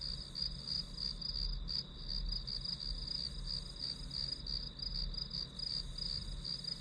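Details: High, rapid pulsed chirps from grass insects form a continuous bright band over a soft low hum, the rhythm slightly uneven as several callers overlap.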